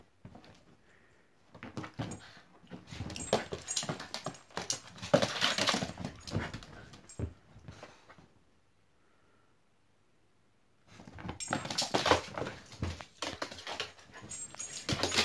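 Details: Seven-week-old Lurcher puppy playing with a Parson Russell Terrier: bursts of scuffling, panting and soft whimpering over about eight seconds, a quiet pause, then lively romping noises start up again.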